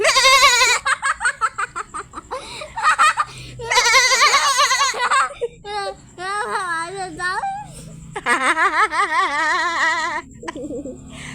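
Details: Goat giving several wavering, quavering bleats in bursts, some long and shaky, others short, mixed with loud human laughter and chatter throughout.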